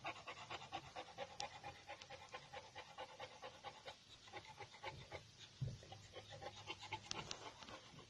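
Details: Male brindle Boxer puppies from champion pedigree lines panting in quick rhythmic breaths, about four soft huffs per second, steady throughout with a brief thump near the middle and a faint background hum.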